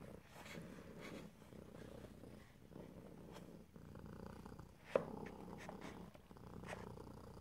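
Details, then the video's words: Pet cat purring close up in stereo, no talking: steady low rumbling purr in repeated breath cycles, inhale and exhale phases audible, with a single sharp click midway and soft rustling. "ASMR Cat: Purring"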